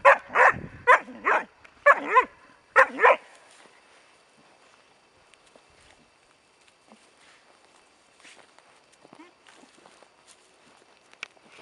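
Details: Four-month-old Bracco Italiano puppy giving seven quick, sharp barks in bursts over three seconds, then falling quiet apart from faint rustles and a few soft distant sounds.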